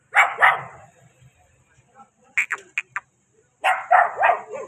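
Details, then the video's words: Puppy barking: bursts of high, sharp yips, two together at the start, a quick run of short clipped yelps in the middle, then a longer pair of strained yelps at the end, with quiet gaps between. "Dogs baby barking"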